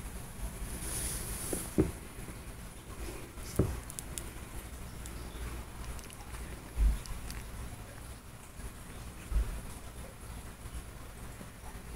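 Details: A low indoor rumble with a few soft knocks and rustles, and no clear animal voice.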